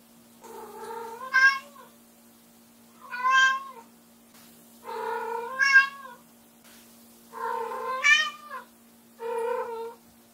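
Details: Loud repeated meows from Ram, a white short-legged prick-eared female Munchkin cat born 2014, calling indoors after her owner leaves the room; five long harmonic yowls roughly every two seconds, rising then falling, over a steady low hum.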